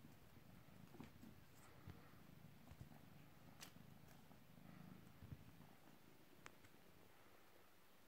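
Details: A little British Shorthair kitten, three months old, purrs quietly while playing with his favourite toy indoors: a continuous low, grainy rumble with slight rises in strength and occasional sharp taps.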